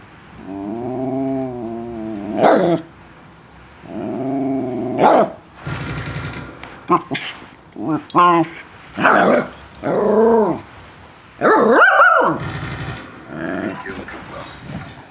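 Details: A West Highland White Terrier talking while playing ball: drawn-out moaning grumbles and yowls in bursts of one to two seconds, alternating with short sharper yips, some speech-like overlap.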